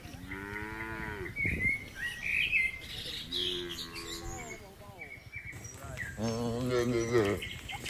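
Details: A red village cow eating grass contentedly beside another cow gives several deep, harmonic moos, with birds chirping in the background.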